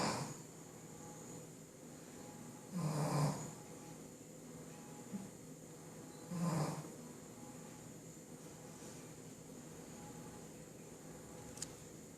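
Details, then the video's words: Shih Tzu asleep and snoring in a small room: two deep, rattling snores roughly three and a half seconds apart, with a softer snuffle between them and a quiet background hum. "shih tzu roncando"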